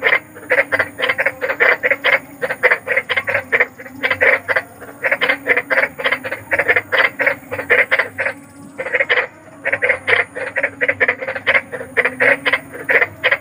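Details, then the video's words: Big frog croaking after dark, recorded for bedtime sleep therapy: fast bursts of rasping pulses in runs of several seconds, separated by short gaps, a low steady drone beneath. "SUARA KODOK || KODOK BESAR || SUARA KODOK SERAM"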